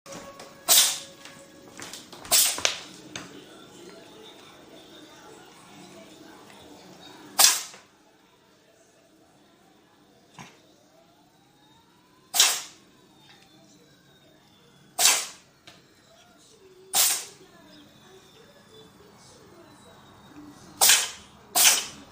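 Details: A domestic cat sneezes again and again, about eight sharp, explosive bursts spread over some twenty seconds at irregular gaps of two to five seconds, with near silence between them and faint room sounds.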